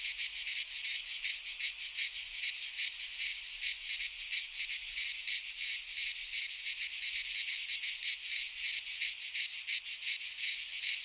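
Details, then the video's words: Cicadas in a Greek pine forest at midsummer, massed high-pitched buzzing that swells and fades in rapid beats near three per second, filling the whole stretch without pause or other voices. "Cicadas singing in midsummer - Nature sounds from the Greek fauna - Sounds of cicadas"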